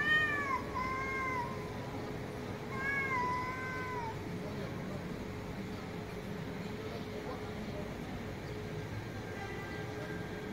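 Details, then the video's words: A cat gives a cluster of harmonic meows in the first four seconds, several gliding downward, then goes mostly quiet over a steady hum, with one faint meow near the end. "CAT MEOWING SOUNDS"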